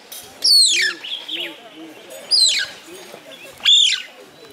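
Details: Mongoose heard at a camp restaurant, Masai Mara, Kenya, August 2011: three piercing downward-sliding whistles spaced over a few seconds, with soft low cooing notes and faint chatter underneath.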